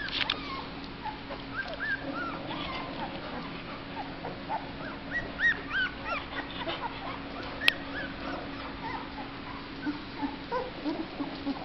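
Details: Hungry black Labrador Retriever puppies, slightly over two weeks old and newly eating mush, give a busy chorus of overlapping high squeaky whimpers and yips, many pups calling at once over a faint steady hum.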